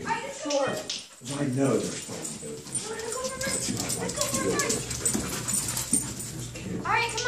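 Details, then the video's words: Playing puppies, a German Shepherd and a wheaten Terrier, whine and yip in strained, pitch-bending bursts through most of the stretch while a man speaks to them. "Puppies playing"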